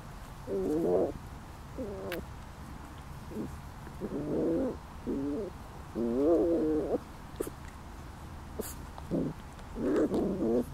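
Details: Puppies almost five weeks old, from the dog Lacey, playing: a series of short wavering, whiny yelps and whimpers, some looping up and down in pitch, come in bursts about every second, with a few faint clicks between.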